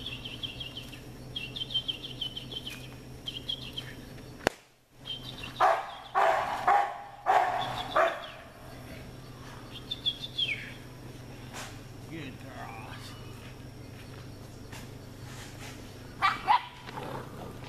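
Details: American Bulldog puppies: short, sharp yelping barks bunched between five and eight seconds, a lone yip near sixteen seconds, with faint high chirps and a steady low hum underneath.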